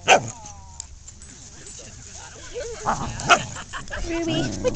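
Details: Dogs Ruby and Macsen getting pushy with Lexie, a new puppy, in play at home; two sharp barks stand out, one at the start and another near three seconds, among a woman's talk about treats in her pocket.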